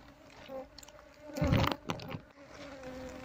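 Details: Apis cerana colony being moved out of a hollow log by a beekeeper; a low continuous hum of massed bees, interrupted midway by loud thumping and scraping handling noises on the wood.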